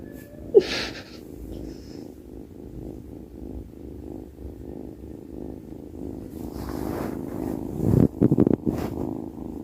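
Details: Sleepy house cat rumbling softly while asleep, a low continuous purring drone with gentle rhythmic pulses; a sharp click early on and louder rustling, handling noises near the end.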